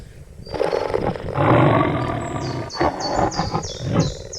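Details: Cheetah giving a loud, rough, broadband growling rasp that swells after half a second and holds for about three seconds, then breaks into shorter pulses, with high, thin chirps from birds repeating in the background.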